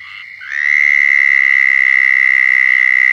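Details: Mating call of a southern toad in Florida: a brief soft lead-in, then a loud, steady, high buzzing trill rises in volume and holds evenly to the end.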